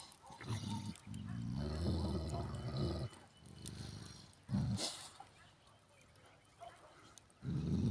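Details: Two Turkish Kangal dogs fighting each other beside a camper: deep, harsh rumbling growls and snarls in loud bursts, one lasting over a second, then shorter outbursts and a final rough growl, with a human voice nearby.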